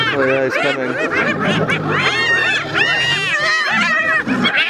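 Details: Spotted hyenas in a clash with a lion over food in the wild; a dense chorus of rising and falling arched giggles from several animals overlaps, with low pulsed growling beneath throughout.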